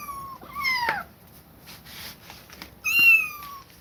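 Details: Two clear, high meows from kittens forced to leave a mother cat that attacked them several times, the first quick and falling, the second longer and steadily sliding down, with a soft knock between.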